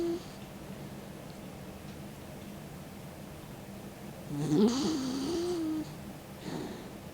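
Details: Snoring from Mick, a sleeping 16-year-old dog with his tongue out: a rough inhale carrying a wobbling whistle that settles into a steady tone, followed by a softer breath, over quiet room hum.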